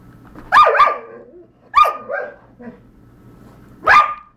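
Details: Dog, one of two named Zachary and Argos, giving loud sharp barks in quick doubles, a softer grunting bark between, and a final loud bark, in a small indoor room.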